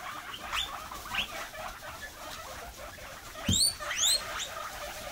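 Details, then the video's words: Guinea pigs give high, sharp, quickly rising squeaks in short irregular bursts while being given cucumber pieces as a snack. The owner says they always squeak like this. "Meerschweinchen quieken!!!"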